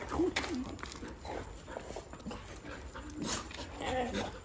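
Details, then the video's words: Dogs greeting their owner excitedly after a three-day absence, running to him once they recognised him from afar; short squeaky rising whines at the start and near the end, mixed with voices and handling noise. "Excited Dogs Meeting Owner After 3 Days"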